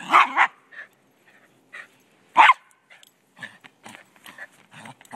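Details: A little Silky Terrier defending the football during a Sunday soccer game in Truckee, California, gives a quick double bark, then a single loud yap, followed by softer yips and small clattering play noises.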